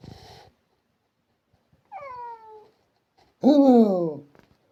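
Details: Indoor domestic cat making a thin falling meow followed by a louder, longer descending meow, with a brief rustle at the start.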